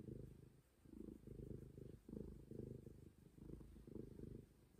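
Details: Close, loud purring by Momi, a stray cat: low pulsing rumbles alternating quickly, nearly one cycle per second, continuous through the whole stretch.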